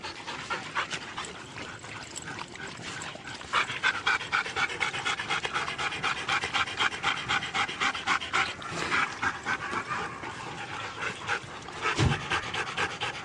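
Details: Siberian huskies at a race in East Anglia, panting hard: fast, breathy, rhythmic bursts several times a second, growing louder partway through, with a sharp thump near the end and faint background chatter.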